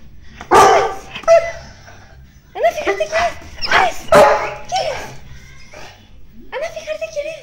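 A Weimaraner whines in high, wavering cries, an excited greeting for someone arriving, with a person talking.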